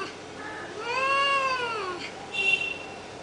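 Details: Cats fighting: a drawn-out, rising-then-falling yowl in the middle, followed by a short, higher, strained cry.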